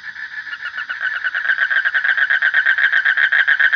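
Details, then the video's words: Frog calling in a fast, steady train of rasping pulses that grows louder over the first seconds, then holds at an even volume. "Suara Kodok / Frog Sound"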